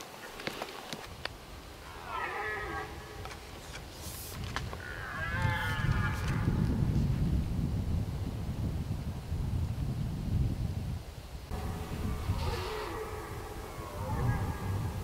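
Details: At the peak of the red deer rut on a hot day, at least three to six stags on a meadow and grass field about 120 m away, by a forest, give drawn-out groaning roars in bouts, with wind rumble.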